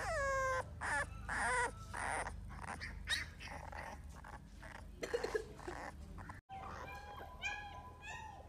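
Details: Male and female American Bully pups of Dax bloodline in Hoshiarpur, Punjab, whine. A falling cry opens, then come scattered yips, and a series of short repeated high whines closes, with background noise throughout.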